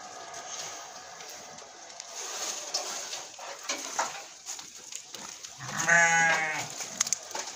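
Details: Alpine, Murciana and Malagueña goats in Morocco: a single short, nasal bleat near the end, rich in harmonics, following several seconds of quiet hiss and scattered clicks.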